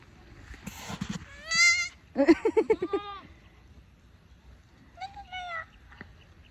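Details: Domestic goats on a farm in a Tagalog-speaking household, two of which have just given birth, bleating: a short bright bleat, then a longer quavering one, and a brief higher bleat near the end, with people talking and laughing.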